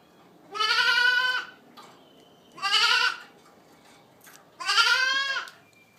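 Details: Three strong, nasal, harmonic bleats from Boer goat kids out of registered dams, spaced about two seconds apart, each slightly rising; faint clicks and a brief thin tone between calls.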